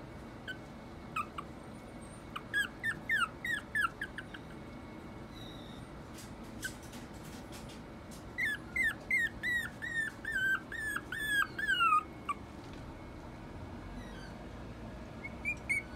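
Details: Toy poodle and Maltese mix puppy giving bursts of thin, high whining yips, several in quick runs at intervals, over a steady low hum.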